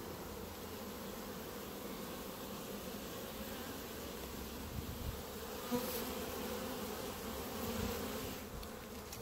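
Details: A clump of honey bees on the ground before the hives, loud steady buzzing of many wings with a humming band in the middle range and a few handling knocks.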